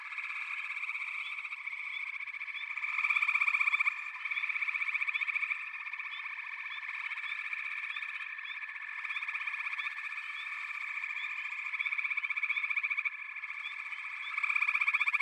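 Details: Dense frog chorus of overlapping, steadily pulsed high trills laced with short upslurred chirps, swelling noticeably louder around the third and final seconds.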